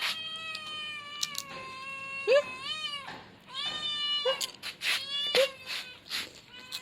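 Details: Young male kitten meowing: a long drawn-out harmonic meow, then a string of shorter rising-and-falling meows about every second, with occasional clicks and handling noises between calls.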